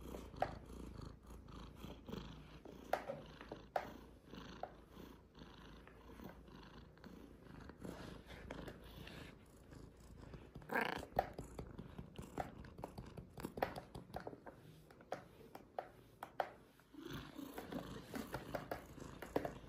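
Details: Jango, a young rescued cat found unable to see, during eye surgery: a low, steady rumbling purr runs through the recording, with soft rustling and handling noises in a small indoor room.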